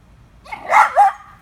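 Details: Daphne, a pet dog wanting a squirrel up in a tree, gives a single loud bark that rises into a second quick burst, over a low background hum.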